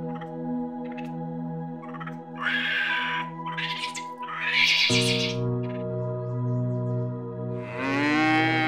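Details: A dairy cow, filmed in Vietnam, gives a deep, drawn-out moo that swells and bends in pitch, over a steady droning music bed with a few brief bursts of other sound.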